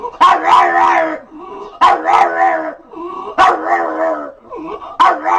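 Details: Domestic dog making a funny noise: loud, harmonic howl-like cries, each starting sharply and then sliding into a sustained moan, four in about five seconds.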